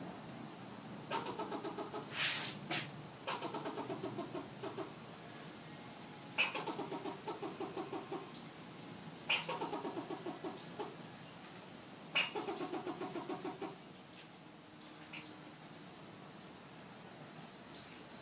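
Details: Fox squirrel in Southern California giving harsh, rapid pulsed chatter bursts, each about a second long and repeated every few seconds, several opening with a sharp click-like note, over a steady low background hum.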